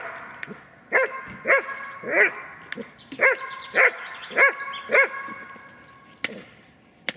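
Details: German Shepherd barking to hold an intruder during training, pressuring the decoy; seven or eight hard barks in a regular run, then a quieter stretch with faint voices and a couple of sharp knocks.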